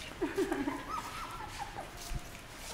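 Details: Seventeen-day-old puppies on their first day in a dog café give soft, high whimpering squeaks in a short burst, then a thin, drawn-out whine. Faint human voices can be heard in the background.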